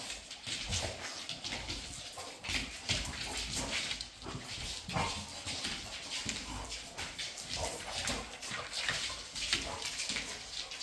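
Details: Several female Labrador Retrievers playing together, giving a dense run of short, rough, noisy huffs and scuffling bursts that overlap almost continuously, with no clear tonal barks.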